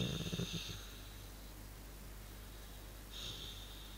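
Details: Male dog making a funny noise while chilling and relaxing: a rough, rumbling snore-like grunt pulsing in the first second, then a fainter huffing breath near the end, with a quiet indoor hum.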